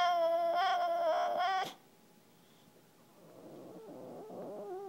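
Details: Male English Bulldog asking for frisbee play: a loud sustained nasal whine cuts off abruptly, followed by quiet, then low grumbling, breathy vocal noises.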